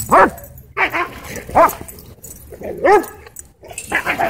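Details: Dog at a dog park going crazy, giving loud arched, harmonic barks and yips in uneven bursts about once a second, with faint background noise between calls.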